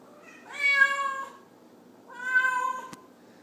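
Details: Feral cat stuck up on window blinds indoors meows twice, each call long and harmonic, steady then dipping, about a second apart, with a brief knock after the second.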